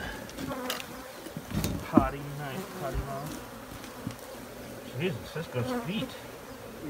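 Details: Honey bees buzzing up close, a wavering low hum with shifting harmonics and brief louder swells, faint background noise throughout.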